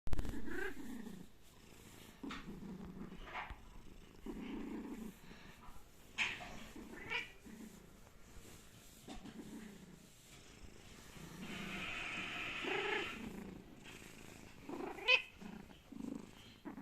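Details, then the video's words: A sleeping domestic cat snoring softly; low rumbling breaths repeat every second or so, each a short burst of low-pitched rasp, with a brief higher squeak near the end and quiet room background. "Funny sleeping cat snore"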